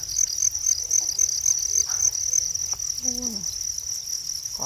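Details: Continuous high, fast-pulsed trilling from natural crickets dominates, with a few brief spoken syllables in the background.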